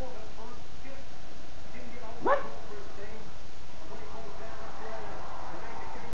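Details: Rocky, an 8-week-old puppy and new family dog, answers his name with one short, sharp yip just after two seconds. The rest is quiet room noise.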